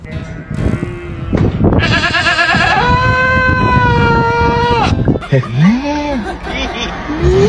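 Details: A newborn goat kid, born that day, gives a long, high, wavering bleat that holds steady and then trails off.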